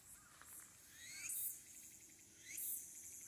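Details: Walker's cicada, late summer, 22 August 2022, Aburayama Kannon observation deck, Aburayama, Fukuoka City, Japan, smartphone recording: two loud shrill bursts swelling and fading, linked by rising sliding notes over a steady high insect hiss.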